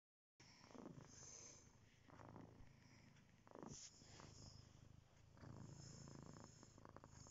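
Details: Domestic cat purring steadily, a low rumbling vibration swelling and easing with each breath, with brief breathy bursts between cycles.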